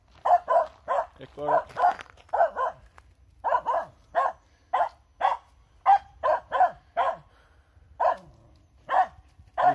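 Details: Finnish Spitz barking outdoors at a squirrel, a breed meant to bark on finding game; a steady, rapid run of short, ringing barks, often doubled, continues for about ten seconds against a quiet background.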